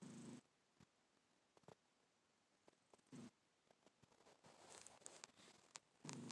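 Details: A sleeping black cat snores softly indoors. Short breathy, rasping bursts come about every three seconds, with faint clicks and rustles in between.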